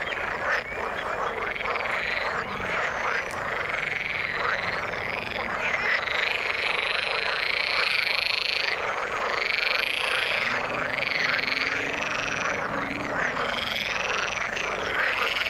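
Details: A constant frog chorus from the water: layered croaking and trilling pulses with a brighter, higher ringing tone running through it.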